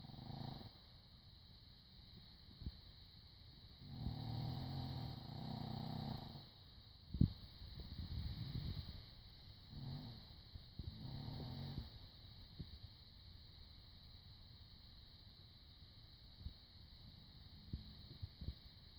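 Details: Chino the dog snoring in repeated rumbling breaths, rattly bursts of one to two seconds coming every few seconds, with a sharp knock near the middle and a steady high electronic tone throughout.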